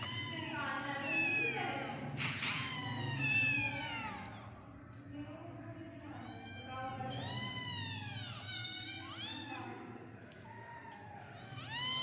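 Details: Several kittens meowing in overlapping high, arching cries that rise then fall, many calls close together across the clip, with a low steady hum underneath.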